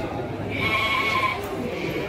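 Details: Garut sheep breeding stock at the Andir market in Bayongbong, Garut: one wavering, nasal bleat lasting under a second, rising out of steady market chatter and background noise, with a person talking nearby.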